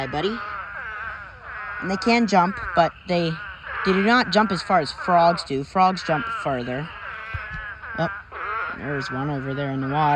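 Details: Spadefoot toads in a huge mating swarm, thousands filling a pond: overlapping wailing, bleat-like calls with wavering pitch rise and fall almost continuously, many voices layered over one another.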